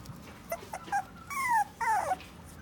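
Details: A Toy Poodle at a pet shop gives a few soft yips, then two high, falling whimpers.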